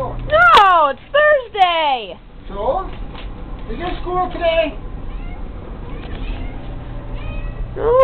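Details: Kitty at play with a fishing-pole toy gives three loud, falling meows in quick succession, then one more at the end, with a person's voice talking in between.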